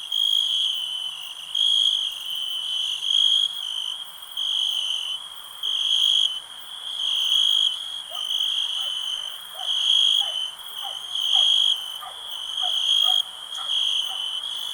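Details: Crickets chirping steadily, a bright high trill rising into louder bursts about every one and a half seconds, with faint lower soft clicks or blips scattered in the background.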